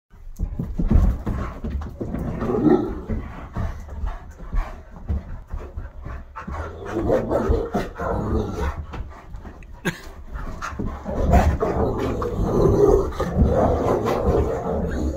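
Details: Dogs, a Great Dane, a wolf-hybrid and an Aussie mix, playing rough together in a living room: steady heavy panting with low breathy rasps, thumps and scuffling throughout, loudness surging in waves.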